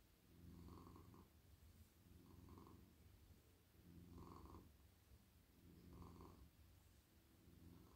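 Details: Domestic cat, a very friendly male, purring while being stroked in a lap at night; low, snore-like rumbling with a regular in-and-out rhythm, each swell lasting under a second and recurring about every one and a half seconds.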